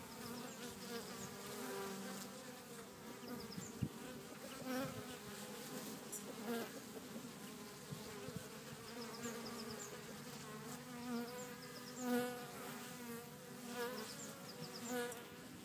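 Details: Bees foraging in a back garden at Cretingham, Suffolk, producing an unbroken droning hum. Occasional louder swells mark insects drifting nearer, and faint high twitters sound in the background.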